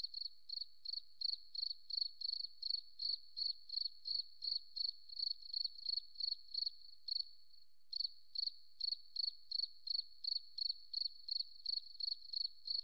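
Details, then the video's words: Cricket from a forest setting giving a long series of short, shrill pulsed chirps at constant pitch, near three per second, with one short gap after seven seconds before continuing. "Beautiful Cricket Sound, Forest Relaxing"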